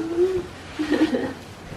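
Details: A female micro-teacup toy poodle, 5 years 5 months old and 1050 g, gives odd, hooting, whine-like cries. She is overexcited at her grandfather's arrival and earlier fell onto her head.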